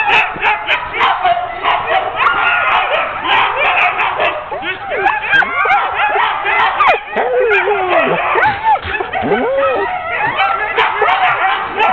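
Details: Sled dogs hooked up as a ten-dog team for a training run, October 2010; loud overlapping barking with long arching howl-like whines sweeping up and down, plus sharp knocks.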